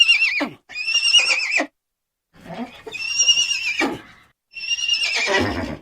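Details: Horse giving three shrill neighs, each a quavering high whinny that ends in a lower, rough shudder, separated by gaps of under a second.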